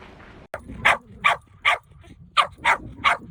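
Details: Shetland sheepdog barking in a rapid run: a short click, then seven sharp, high barks in two bunches, loud and piercing.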